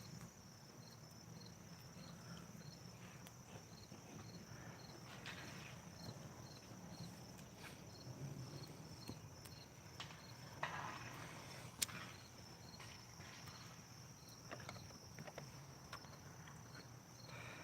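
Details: Crickets beginning to sing in the evening beside a campfire, a faint steady high chirping pulse repeating about twice a second over low background rumble and occasional footsteps.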